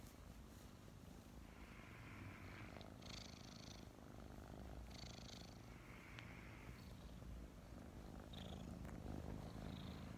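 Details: Two five-month-old kittens, Mint and Mocha, recently adopted, snuggle together in the morning and purr steadily: a continuous low rumbling throb with soft rustling and brief higher hissy bursts of movement noise over it.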